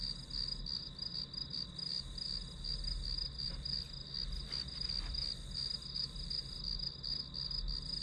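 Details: Grass insects sounding in a study-with-me recording, shrill pulsed chirps in a continuous high band, accompanied by a low steady hum and faint broadband rustles.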